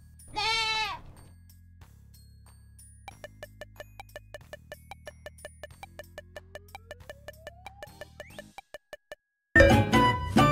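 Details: Goat bleating once, a loud wavering cry rich in stacked harmonics lasting under a second, followed by soft ticking children's music with a rising sliding tone and a sudden noisy burst at the end.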